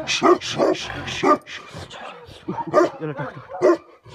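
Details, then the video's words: Tibetan Mastiff (Bhote Kukur) barking angrily in Nepal, with deep, throaty barks in uneven clusters, several coming close together, then quieter growling stretches between louder single barks. "Angry dogs barking effect sound ||Tibetan Mastiff || Bhote Kukur"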